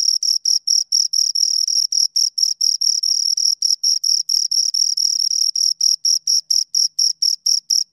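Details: Two crickets rubbing wings in a continuous high chirp: quick regular pulses, about five a second, some running together into longer trills, clean with no background noise.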